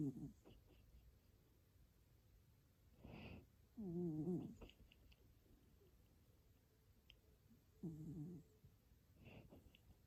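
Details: Sleeping cat snoring softly, with a few short, buzzy, rasping breaths spaced several seconds apart against a quiet indoor background.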